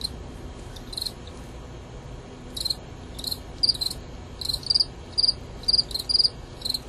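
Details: Contest between two male Gryllus pennsylvanicus crickets. After sparse opening pulses, sharp high chirps speed up to roughly two a second, uneven in spacing, some doubled, over a steady low background hiss.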